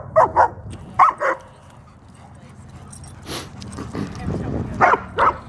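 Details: Female German Shepherd, 75 pounds, at a dog park alongside a male Doberman and male Great Dane; paired barks come in brief doublets roughly once a second, then pause before another pair, over faint outdoor noise.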